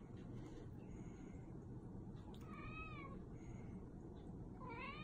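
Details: Persian cat begging for a treat, giving two soft, drawn-out meows with a slight rise and fall, the second near the end, over a loud steady low rumbling background noise.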